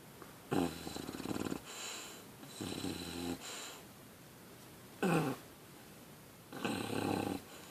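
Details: Puppy English Bulldog asleep and snoring: raspy, wheezy snores alternating with shorter snorting breaths, roughly every two seconds, in a quiet indoor setting.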